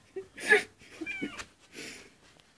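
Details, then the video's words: A white kitten crying at the door: a loud, breathy, rising meow, then a thinner, higher wavering cry and a softer third meow, all in quick succession in a quiet indoor space. "white kitten crying at the door"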